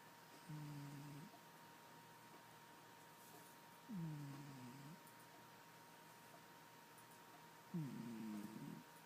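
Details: Bandit, a domestic cat, snoring while asleep indoors: three low, rough, droning breaths, each about a second long, spaced roughly every three to four seconds, over a faint steady electrical hum in a quiet room.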